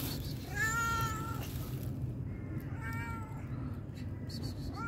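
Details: Homeless cat begging for food gives a long, drawn-out meow with a rising start, then a second shorter meow and the beginning of a third, over a steady low rumble outdoors.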